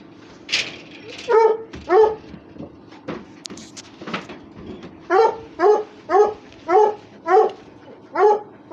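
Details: Russian Hound, a dog among others playing and fighting, gives high whining yelps, first scattered, then a regular run of about one cry every half second, with voices in the background.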